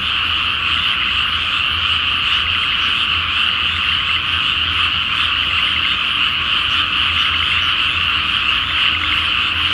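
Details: Massed frogs calling at night over a flooded paddy awaiting rice planting, full moon above, Japan; unbroken layered croaks, loud and even throughout, with a faint low hum beneath.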